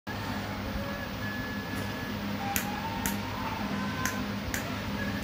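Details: Indoor music plays with faint tonal notes and a few sharp clicks, and no animal voice is heard.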